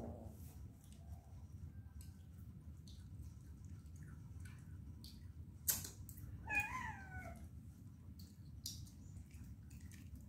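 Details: Domestic cat giving one short meow partway through, a drawn-out harmonic cry that slides downward, preceded by a sharp knock, over a steady low indoor hum with faint clicks.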